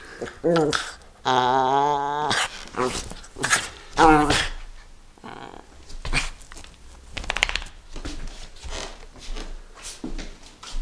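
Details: Kiki, a Chihuahua, playing indoors: short growly vocalizations and yips come in bursts, mixed with a person's talking and higher voiced sounds in a small room.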